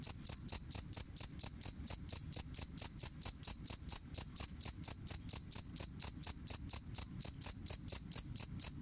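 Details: Jangkrik kalung, the two-spotted cricket, kept for training songbirds, chirps in an unbroken run of sharp, high pulses at about four per second, very even, with a soft low hum underneath.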